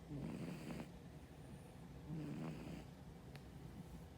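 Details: Brown tabby cat on a diet, asleep and snoring: two rough, rasping breaths about two seconds apart, each with a low buzzy rattle, over a steady low indoor hum.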